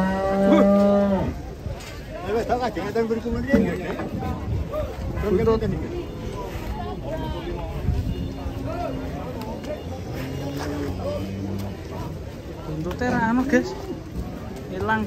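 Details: Cattle come down from a truck in Indonesia. A strong moo opens the clip, followed by several shorter, lower lows. A busy babble of human voices and handling noise carries through the rest.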